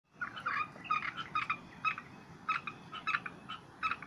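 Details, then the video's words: Frogs calling in a loose chorus, harsh nasal notes in short irregular bursts, several voices overlapping over a soft background hiss. "Relaxing with Frog Sound"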